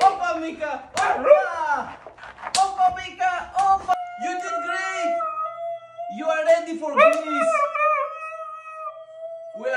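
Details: Meeka, a female pet Siberian Husky, indoors during a dance lesson: wavering vocal sounds mixed with human speech and music, then two long, level, sustained howls near the end.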